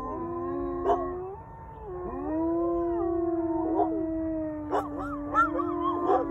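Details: Wolfdogs and a husky howling in answer to coyotes, one pack of canines calling back to another: long smooth sustained tones that rise and glide with overlapping voices, short yips breaking through near the end.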